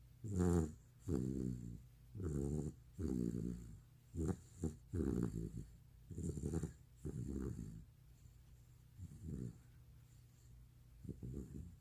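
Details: Bani the retriever, asleep, gives loud, growly snores in recordings made two years ago. The low, vibrating bursts repeat about every two seconds, some with a raspy fluttering texture, and soften toward the end.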